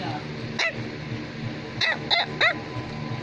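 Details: Bichon Frisé, a toy dog breed, barking indoors: four sharp, high, arched yaps spaced unevenly across about three seconds, with soft praise spoken in between and a low musical hum underneath.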